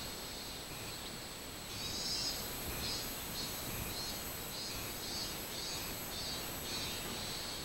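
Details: Robust cicada on 24 July 2016 giving a high, throbbing buzz that starts after about two seconds and pulses steadily several times per second above broad background hiss.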